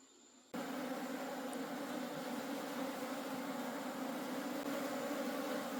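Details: Wild honey bee colony during a forest honey harvest, a sudden start into a steady, layered buzzing drone that holds evenly to the end.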